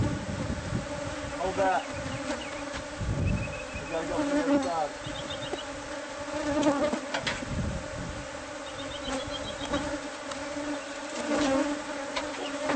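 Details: A colony of bees disturbed as their hive is taken out of a house wall. A continuous low hum of massed wingbeats runs throughout, broken by thumps, rustling and faint voices.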